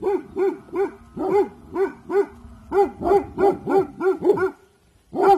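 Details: Bhotia dog Dabu Goli on alert, guarding in the evening: a run of about thirteen sharp, mid-pitched barks with rich harmonics in quick bursts, a brief lull, then one last bark.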